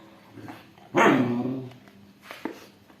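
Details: Aggressive Rottweiler and a two-month-old Labrador puppy squabbling over a toy; one sudden sharp bark sliding downward into a short whine, then faint thumps and quiet indoor room noise.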